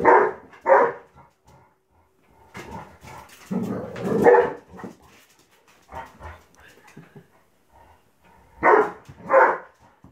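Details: Male Labrador Retriever playing his usual morning game of football, short loud barks in pairs and bursts with quieter huffs and scuffling between.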